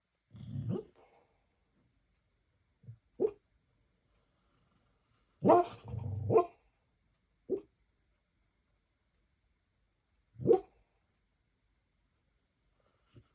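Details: A Beagle asleep and dreaming gives muffled, low woofs and short huffs, single or in pairs, spaced by several seconds of silence; one double bark near the middle is the loudest.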